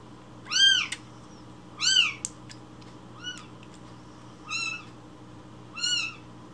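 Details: Baby rescued kitten crying loudly for its morning milk; five bright, arched meows, each rising then falling, spaced a little over a second apart, with faint clicks between them.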